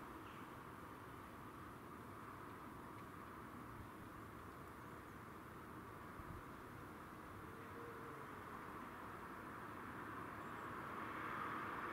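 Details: Quiet, steady background hum with a distant vehicle rumble and no animal sounds.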